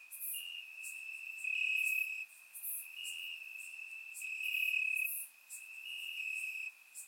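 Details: Bulgarian summer night with crickets calling from grass, taken on a surround microphone; a shrill sustained trill holds steady while short intense bursts rise and fall, quiet background otherwise.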